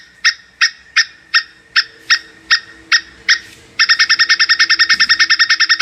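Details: Plantain squirrel mating call: a series of sharp, harmonic chuck notes about three per second, then a sudden fast, even chattering trill of the same notes over faint background hum.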